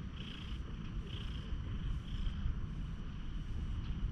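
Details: Friendly one-eyed stray cat in a quiet park, purring while being petted, recorded on a GoPro HERO8: a steady low rumble with a soft rhythmic breathy pulse roughly once a second.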